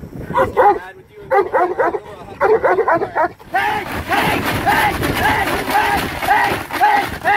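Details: Cane Corso Carmine D'Oro of Legendary's kennel during PSA PDC protection work: quick clusters of sharp, loud barks in rapid bursts through the first half, then continued barking mixed with a human voice and shuffling.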